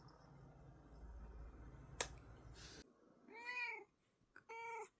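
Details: Rescued house cat relaxing indoors before sleep: after a stretch of low room noise and a sharp click, two meows follow, a longer arched one and then a shorter, flatter one, both clear and harmonic.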